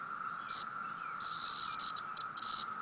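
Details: Cicada calling while being poked by a person: short, harsh, high buzzy bursts of varying length, some broken into quick pulses, over a steady faint tone in the background.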